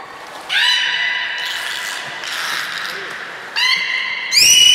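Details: Captive belugas Hodoi, Gray and Mirai training at Port of Nagoya Public Aquarium on 1 December 2019: sustained buzzy harmonic tones start and stop in overlapping turns. The last one glides steeply upward. Chatter runs underneath.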